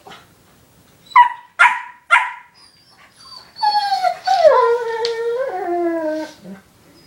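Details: Foster puppy Ink bonding with big brother Owen, an older dog, indoors: three quick sharp yips, then a long wavering whining howl that slides downward and rises again before ending with a low grunt.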